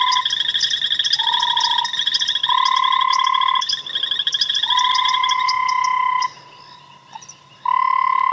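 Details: Tremolo sand frog gives a rapid, pulsed, sonar-like trill in long ringing bursts, with its vocal sac inflating to amplify the call, at sunset on a game-reserve safari drive on March 5, 2017, after rain.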